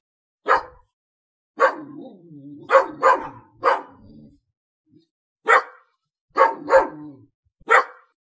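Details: Dog barking: about eight sharp, loud barks, some in quick pairs, separated by short pauses, with a lower, drawn-out whining tone between the second and fourth barks.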